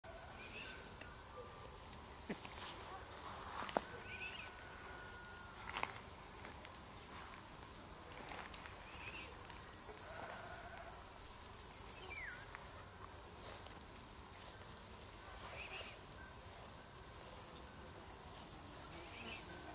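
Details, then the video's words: Crickets singing as a steady high-pitched shimmering chorus that runs through the whole stretch, with scattered short chirps and faint clicks from other creatures in the background. "singing crickets"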